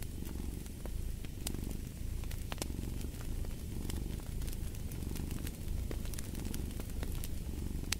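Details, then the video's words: Steady low purring from a cat, pulsing rumble with soft rhythmic swells, while a wood fire crackles and pops throughout. "Fall asleep to the Purring of a Cat"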